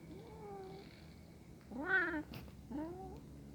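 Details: Hungry kitten watching two cats eat together, meowing: a thin drawn-out mew, then a loud rising-falling harmonic meow and a shorter one after a brief pause, against quiet low hum.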